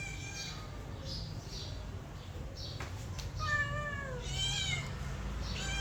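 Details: Mother cat with her kittens: a few faint, high, thin mews come in short falling bursts, then louder overlapping wavering mews near the end, over a steady low background hum.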